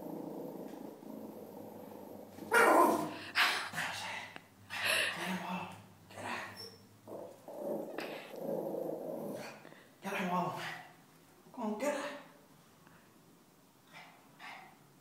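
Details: Female Bichon Frise seeing her reflection in a mirror for the first time, barking and growling in harsh rough bursts at irregular intervals, some louder yaps among lower grumbles, while a person talks nearby.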